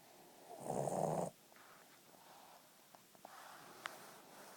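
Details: A female Boston Terrier, asleep after a long day, gives one loud, rasping snore, followed by quiet breathing and small clicks.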